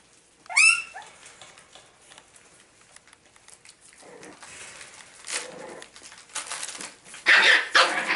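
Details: Boston Terriers, Shelby, Duffee and Cinnamon's puppies, playing together on 09/13/2017: one sharp, high yelp with a bright rising-then-falling tone near the start, followed by quieter scuffling, scratching and rustling from the dogs at play.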